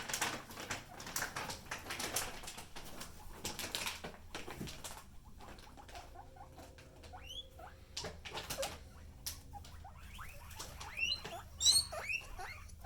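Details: Pet guinea pig: mostly rustling and pattering movement noise, with a few brief, high, rising squeaks breaking through in the second half.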